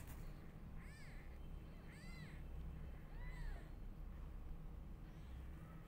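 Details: Newborn kittens crying loudly while their mother is unwell; three or four arched, high mews rise and fall in the first half, then fade, over a steady low rumble.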